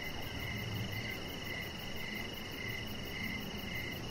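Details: Crickets chirping in the evening around a deck where a chihuahua puppy named Rocket lies under decoration lights; short high chirps repeat about every half second over a steady hiss and a constant higher tone.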